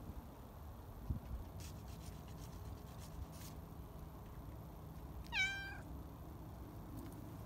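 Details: Sabrina the cat, on a garage roof in the afternoon after waking from a nap, lets out one short falling meow with clear harmonics over a steady outdoor hiss, with a few faint clicks earlier.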